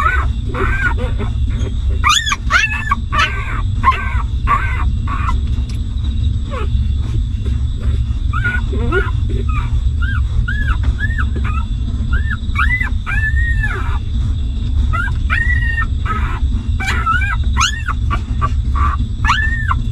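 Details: Newborn puppies of a stray mother dog suckling and whimpering while she nurses and cares for them; repeated short arched squeaks and whines, some clustered, over a steady low rumble and a constant high tone.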